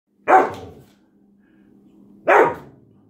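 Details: German Shepherd indoors during a described attack in a house, two sharp, loud single barks about two seconds apart, with a faint low hum between them.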